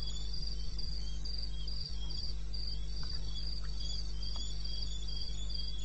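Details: Night recording from wild eastern Botswana, Africa, 21 May 16 at 2:30 am: a cricket repeats short shrill chirps in a steady beat, accompanied by a softer lower trill and a persistent deep hum.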